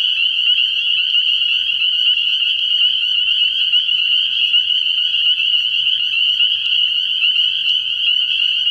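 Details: A nighttime frog pond in early spring, full of spring peepers: a continuous wall of piercing high peeps that never breaks, with stacked fainter overtones and a soft low rumble underneath.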